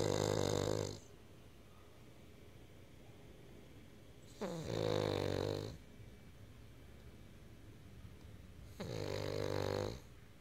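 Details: An asleep Cavalier King Charles Spaniel puppy snores in a quiet room. Three rough, buzzing snores, each about a second long, repeat roughly every four seconds, separated by quiet breathing pauses.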